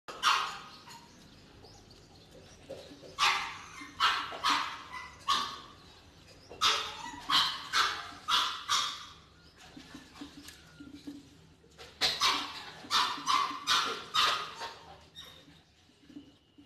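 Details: Labrador Retriever puppy, a heavy-boned show-quality pup, giving sharp repeated barks and yips in quick bursts, several calls close together with short pauses between groups, over a quiet indoor background.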